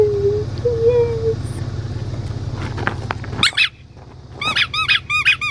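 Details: Blue merle male Australian Shepherd puppy, five weeks old, recorded 31 August 2021 in Talala, Oklahoma: two drawn-out low whines open, then after a pause a burst of sharp, high, rising-falling squeaky yelps in quick succession, with steady hum beneath.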